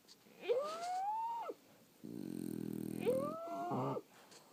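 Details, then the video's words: Snoring from sleeping French Bulldogs: a whistled, arching wheeze, then a deep buzzy rattle on the next breath, and then another squeaky whistle blended with a rough snort. "Snoring French Bulldogs"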